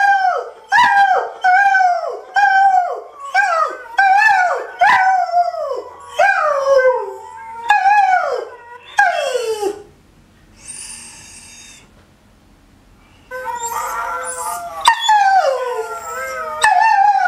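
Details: Howling and rooing from rescue greyhound Benny, joining his internet buddies: a rapid series of short, downward-sliding yodelling cries, then a pause with faint sound, before more wavering howls resume.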